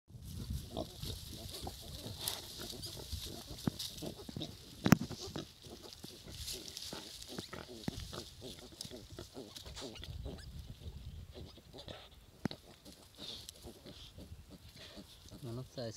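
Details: Baby pigs at milk feeding time, lapping and suckling from a bottle: continuous low snuffling grunts and slurping with scattered clicks, and a person talking faintly.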